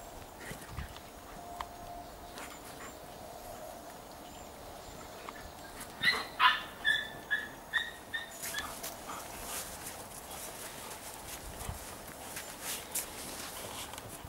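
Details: Giant Schnauzer puppies of the Blackmoore N litter. A rapid run of about seven high, sharp, ringing yelps comes in quick succession midway. Quieter scuffling and faint noise surround it.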